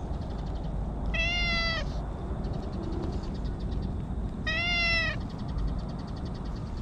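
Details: Stray cat speaking from inside bushes in cat talk, two drawn-out harmonic meows about three seconds apart, each slightly falling at the end, with a constant low rumbling hum underneath.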